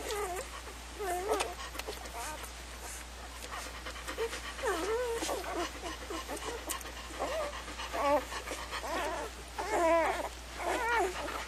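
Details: Several puppies give short wavering whines and yelps in scattered bursts, with panting and faint voices in the background.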